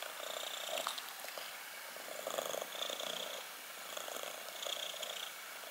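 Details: Close-up purring of a black kitten: a continuous buzzy rumble rising and falling with each breath, about every two seconds, with no other sounds.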